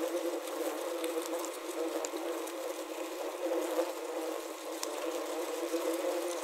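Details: Low, unbroken hum of wasps confined in a wasp trap, recorded using a Zoom H6 and Korg CM-300. The droning is even and grainy, broken by light irregular taps.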